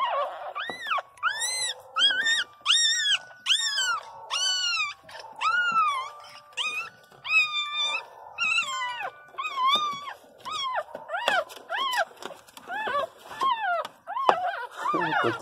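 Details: Pinscher puppies, about four of them, crying loudly indoors: a string of high, arched whimpers and yelps, each rising then falling, repeated in quick bursts and overlapping toward the end.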